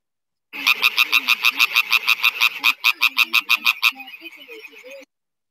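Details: A male European tree frog calls with a fast run of loud, rasping, evenly spaced croaks, about three each second. Its vocal sac acts as a resonance chamber so females can hear it from afar and recognise males of their own species.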